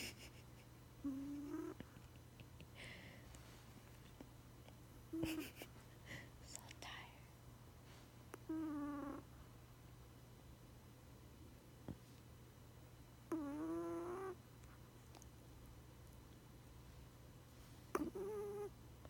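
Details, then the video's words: Sleeping chihuahua, Princess Emmy, snoring: short whistled nasal tones that rise slightly in pitch, each lasting under a second, repeating roughly every four seconds over a steady low electrical hum. "Adorable chihuahua sleeping and snoring"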